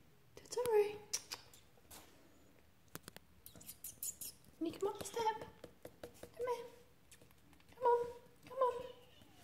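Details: Persian Siamese kittens Totoro and Suki trying to climb a step give short, high mews with a bright overtone, about five across nine seconds, while a person's voice coaxes them between calls.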